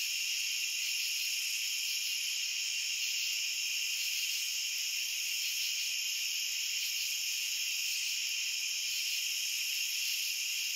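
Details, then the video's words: Crickets in a dense, unbroken chorus: several steady high-pitched bands hum together without pause or change in loudness, with no other animals, voices or music. "Cricket Sounds"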